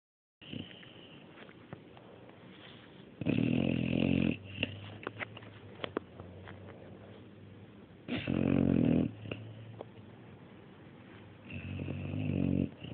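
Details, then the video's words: Mario the dog snoring indoors: loud, rough harmonic snores about one second long, recurring every four to five seconds, with quieter wheezy breathing and faint rustles between them. "Mario snoring III"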